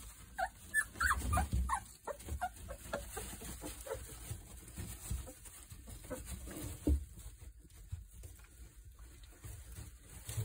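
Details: Three-week-old Boerboel puppies make a burst of short high whimpers and yips early on, fading into scattered faint squeaks over a steady low rumbling background.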